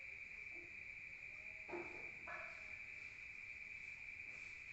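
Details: Crickets chirping at night in the countryside, heard from indoors: a steady high-pitched trill continues throughout, while two short louder knocks and a faint low tone sound in the background.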